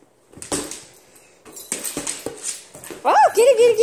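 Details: Nala, a pet husky, is excited and playful indoors at home. Scattered soft clicks and rustles lead into a sharp, rising-then-falling whine with a bright harmonic ring, then a wavering yelp near the end.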